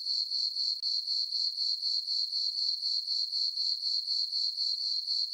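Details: Farm meadow at night in summer, full moon overhead: crickets keep up a constant thin, high chirp, pulsing evenly around four times each second with nothing else audible.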